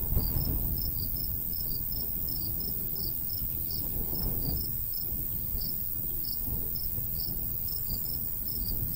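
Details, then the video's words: Crickets in summer countryside by a wheat field, giving short high chirps in two slightly different pitches, repeated several times a second in a steady overlapping pattern over a low rumbling breeze. "Countryside/cricket sounds"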